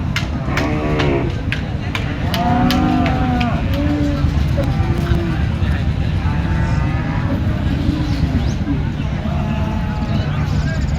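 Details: Bulls at the Chandaikona cattle market lowing several times, drawn-out moos that rise and fall, some overlapping, amid constant crowd noise and passing traffic.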